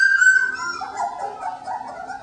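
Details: Three-week-old puppies in an expanded pen; thin, high whining tones that slide and waver, with overlapping softer murmurs.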